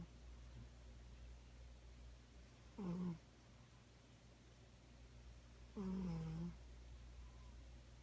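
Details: Domestic cat snoring indoors: two drawn-out, nasal, humming snores about three seconds apart, each a low steady tone with bright overtones, separated by quiet breathing pauses in a small room.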